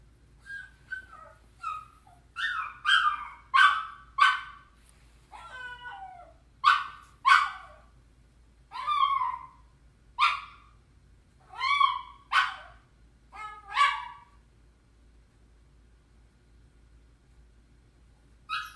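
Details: Puppy left alone and feeling lonely, crying in a run of short, sharp, whiny yelps about once a second for fourteen seconds, some clipped and some bending downward, then quiet with a final yelp at the end.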